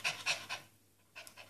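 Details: Bichon Frise show dog indoors on 05.07.2016, doing tricks on command such as sitting, giving a paw and turning; three quick breathy panting bursts, a pause, then two more, over a faint steady low hum.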